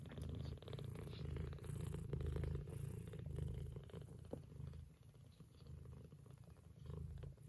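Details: A mother cat of a Scottish Fold litter purrs steadily while her kittens nurse, a deep rumbling hum pulsing several times a second.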